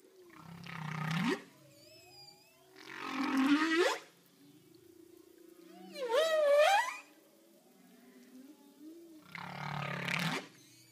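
A humpback whale gives low, harmonic moans and rising whoops underwater, about every three seconds.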